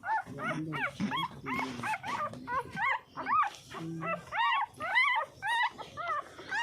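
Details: Puppy drinking milk, giving a string of high, arched whimpering squeaks that rise and fall. About two per second, with short gaps between them. A woman's voice murmurs softly in the background.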